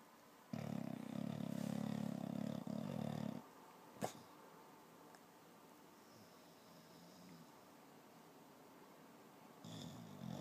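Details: English bulldog named Tuck dreaming, tongue flapping; a loud, low rumbling snore-like breath for about three seconds, then a sharp click and quiet breathing, with a brief rasp near the end.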